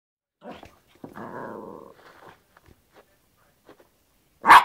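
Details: Yorkshire Terrier playing with a hairbrush: a short yap, then a drawn-out rumbling growl of about a second, soft snuffling noises, and a final sharp, loud bark.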